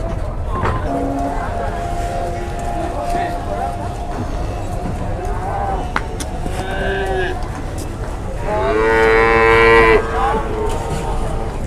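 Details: Market cattle loaded onto a truck at Sobo, Indonesia, low sustained lowing early on, then a strong rich moo from 8.5 to 10 seconds, with people talking and engine rumble throughout.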